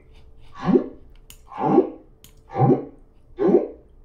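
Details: A solo humpback whale singing at the Silver Bank: a low, moaning whine-like unit rising and fading, repeated about once a second within one repeating section of the song.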